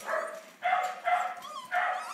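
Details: Puppies from a litter at a shelter giving three short, harmonic yelping calls in about two seconds, each roughly half a second long, separated by brief pauses.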